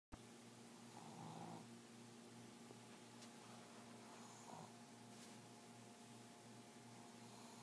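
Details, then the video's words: Bosley, a pet Pug, snoring while asleep: two soft, low rasping breaths about three seconds apart over a steady indoor hum. "Pug Snoring"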